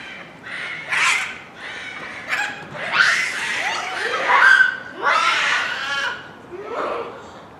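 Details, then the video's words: A group of Japanese macaques at Hamura City Zoo calls at dusk near closing time in December 2020, with harsh, wavering cries and shrill squeals overlapping. "夕暮れに鳴くニホンザルの群れ （羽村市動物公園）Japanese Macaque at Dusk"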